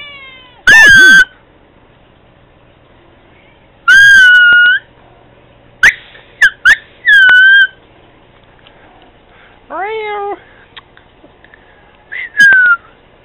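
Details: Domestic cat meowing back and forth with a communication device: drawn-out tonal meows, some falling, one rising-and-falling, spaced a few seconds apart, interspersed with short clicks.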